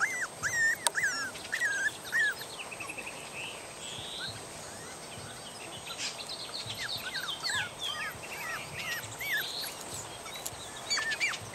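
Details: Young puppies, three and a half weeks old, unhappy at being taken outdoors into the yard and woken from sleep, wanting their mother to feed them. A few sharp arched whines open, then scattered fainter cries among outdoor noise and a click.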